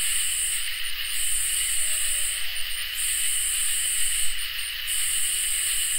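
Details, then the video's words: Summer night chorus of crickets and katydids: unbroken high shimmering trills on stacked pitches, while the highest band swells in long bursts that break off briefly every two seconds or so. "Crickets and Katydids in Summer"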